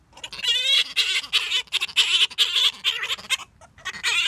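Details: Gelert, a male grey-headed flying-fox, sings to the female Diva after scent-marking his nook of blankets and tattered stuffed toys. The song is harsh, buzzy squawking with stacked harmonics, delivered in rapid chattering bursts about every quarter second.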